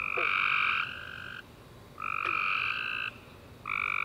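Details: Tree frogs chirping at night after a warm rainy summer day, a chorus of buzzy trilled bursts with two bright bands, each lasting about a second, overlapping callers swelling and pausing, a brief click mid-clip.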